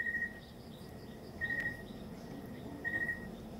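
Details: Cricket calling in the province: three even, tonal chirps of about half a second, repeated roughly every one and a half seconds, over low steady background hum.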